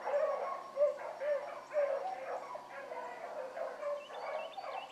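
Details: Morning rabbit chase by hound pups including Ringo, Mingo and Choco; quick repeated bawls about twice a second from more than one dog, some higher rising yelps near the end.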